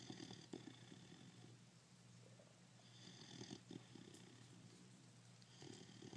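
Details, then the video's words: A 5-month-old pit bull puppy asleep indoors, snoring: soft, low rasping breaths in short bursts about every two to three seconds, with a faint steady hum behind. "pitbull snoring"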